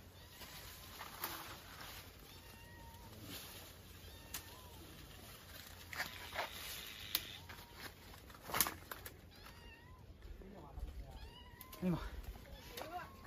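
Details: Kitten up a tree after climbing to a bird's nest, crying after being pecked by a big bird: a series of short, thin meows spaced a second or two apart, with rustling, clattering and occasional louder knocks around them.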